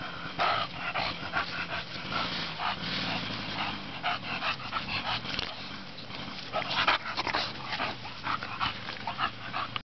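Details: Sunlit play session of a bulldog called Bonita, with dense irregular grunting, snuffling and a couple of brief yelping notes, mixed with continuous scuffling and rustling noise.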